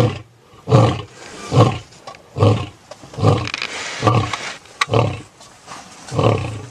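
A big cat roars in a run of deep, heavy grunts, each coming a little under a second apart.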